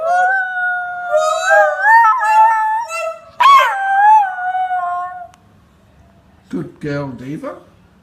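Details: Morning howling from a Chinese Crested Powderpuff on Australia's Gold Coast, a female aged three turning four that also howls when the phone rings; wavering tonal howls rising and falling, a sharp upward yelp, then a person speaking.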